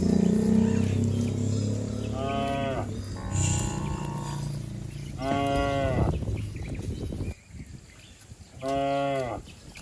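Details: Herd of cattle leaping and running down a green hillside in a village setting; three drawn-out, harmonic moos spaced a few seconds apart, with low rumbling background noise early on.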